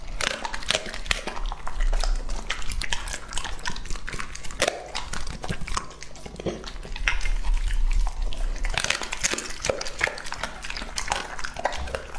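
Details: A two-and-a-half-year-old English-type Labrador Retriever named Lucky, male, eats an indoor meal with asparagus, purple sweet potato, onsen egg, radish and berries. Sharp crunching bites and sticky licking sounds stream densely, louder bursts near the start and around eight seconds.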